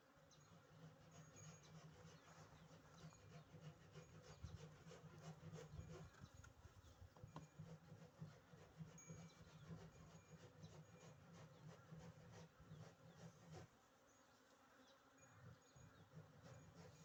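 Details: Honey bees humming steadily nearby as a low, continuous drone with pulsing loudness for about thirteen seconds. It drops away briefly, then returns softer near the end, with faint rustling or rubbing sounds mixed in.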